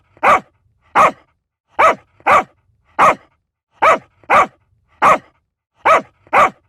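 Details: A small dog gives ten crisp, high barks, alternating lone yaps with rapid doubles at an even pace, nothing else audible behind them.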